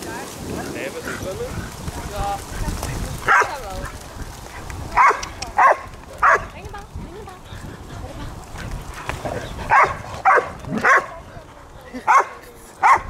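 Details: Three Border Collies playing and splashing in water bark in short, sharp bursts, about nine scattered across the stretch, some in quick pairs, over splashing and people talking.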